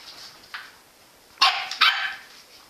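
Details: Engy, a Jack Russell Terrier, gives a soft early yip then two loud sharp barks in quick succession, harsh and bright, over a quiet background.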